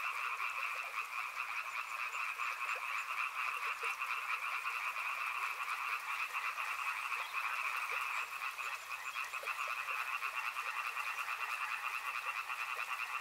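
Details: Dense frog chorus by a river: many croaking voices merge into a steady, buzzy two-tone drone with fine rapid pulsing, unbroken for the whole stretch, over a soft background hiss.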